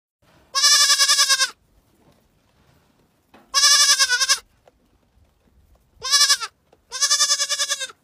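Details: A goat screaming: four loud, harsh, high bleats of about a second each, spaced two to three seconds apart, the voice wavering in quick pulses, with near silence between them.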